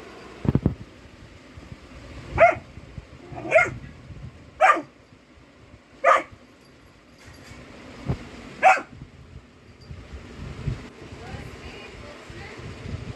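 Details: Golden retriever puppy on alert during a prank: a thump, then about six separate yappy barks spaced one to two seconds apart over steady background hiss and faint household noise.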